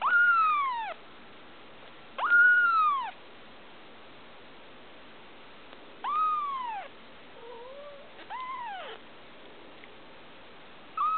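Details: Tiny female blue Persian kitten, almost two weeks old, cries with clear arched meows that climb and drop, four or five calls separated by pauses of one to three seconds, plus a quieter wavering mew.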